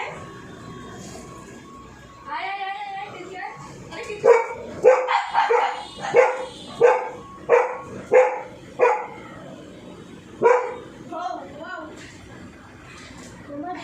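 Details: Dog scared of the sound of a drilling machine, barking repeatedly: a burst of sharp barks roughly every half second from about four to nine seconds, then a few more yelping barks near the end, with some background voices.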